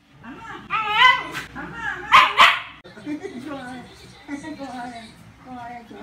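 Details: Shiba Inu playing a tug-of-war game with a grandmother in Taichung, Taiwan: a few high yelping barks and whiny cries, rising and falling in pitch, mixed with a person's voice and laughter.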